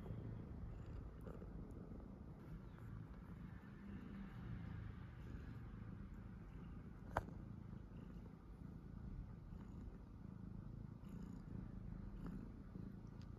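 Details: Domestic cat purring steadily while calmly having its nails cut indoors; a continuous low rumbling drone throughout, with one sharp click near the middle.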